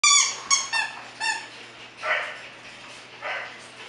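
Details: Bulldog puppies at a Florida kennel: several short, clear, high yelps in quick succession, then two softer, breathy whining notes, over a low steady hum.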